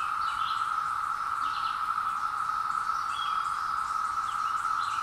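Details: Seventeen-year cicadas newly arrived in woodland, recorded on a hill with a Zoom H2, make a constant buzzing drone at a single pitch, with scattered bird chirps and trills over the top.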